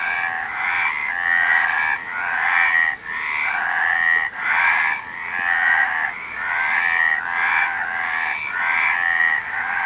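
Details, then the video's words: Rattling frog calls pour out almost without gaps, grating mid-pitched croaks overlapping into a continuous chorus, with thin higher whistles faintly above. "Frog Sound"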